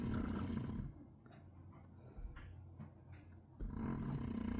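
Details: Pet dog snoring loudly indoors, so loud it could be mistaken for construction noise: a harsh, rasping roar that fades into a low, quieter rumble, then surges back with the next breath.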